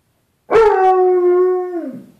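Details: Bruce Wayne, a pet dog indoors, howls at his own reflection in a closet door's glass, the "other dog": one sustained, steady tonal howl about a second and a half long, easing down in pitch at the end.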